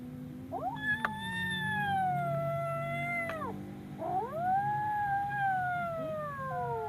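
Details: Frightened kitten giving two long loud yowls, the first held level then dropping sharply at its end, the second swooping upward and slowly falling away, with a low continuous hum underneath.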